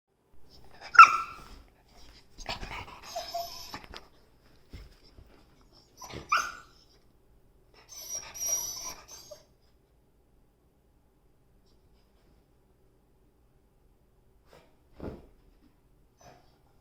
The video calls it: Adorable beagle makes funny sounds to get attention